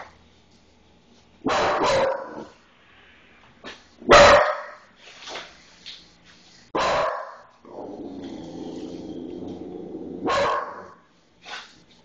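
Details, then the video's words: A one-year-old puggalier barks because it is afraid of a calendar: sharp single barks spaced a couple of seconds apart, a drawn-out growly whine between them, and a person's voice reassuring it afterward. "Barking Bernie"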